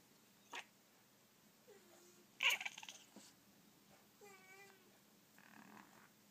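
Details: Persian cats impatient for a toy held up above them make brief low mews and one wavering, rising meow, with scattered clicks and a loud rustle in between.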